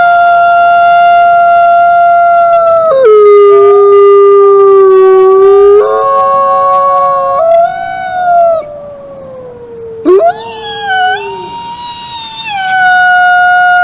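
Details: Chorus of wolf howls with several long drawn-out voices overlapping. One drops to a deeper sustained note and then climbs again, while others glide gently downward. A short break comes before a new higher howl rises and holds.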